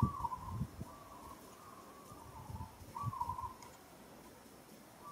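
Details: Monkey in Kampong Cham Province, Cambodia, struggling and calling while another monkey handles it roughly: thin, tonal, wavering cries, four drawn-out calls in five seconds, over low thumps and handling noises.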